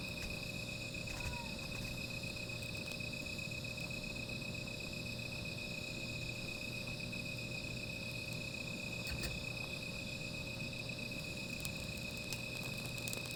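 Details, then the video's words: Continuous high trilling of insects on a night spent by a small fire, steady and unchanging for the whole stretch, with occasional faint clicks and snaps and a low background hum. "Sound of Insects"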